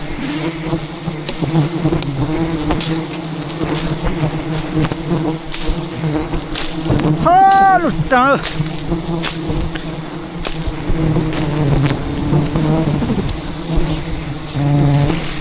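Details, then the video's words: A relentless attack by thousands of wild bees defending their hidden rainforest hive during a honey harvest; a constant swarming hum with close fly-bys, a brief rising-and-falling tonal sound midway, and frequent knocking and rustling. "ATTACKED by Angry Bees While Harvesting a Giant Hidden Beehive"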